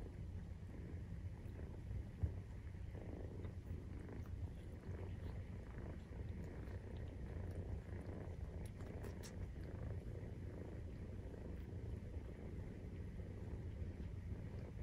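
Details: Nursing-time purring from Maine Coon cats, kittens 43 days old: a continuous deep, even rumble with a fast pulsing texture, unbroken for the whole stretch, plus a couple of soft taps.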